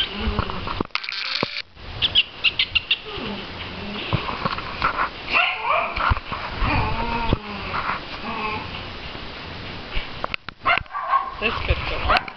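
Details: Adoptable Chihuahua puppy at play, giving wavering whiny yelps and squeaky whimpers in short bursts, with scattered yips, low growly grumbles and rustling, thumping handling noises between calls.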